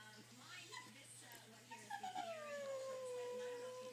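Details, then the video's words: Pet dog eager to go for a drive: a person speaks over scattered background sounds, then a loud, drawn-out whine slides down and holds steady for about two seconds. "Dog wants to go for a drive"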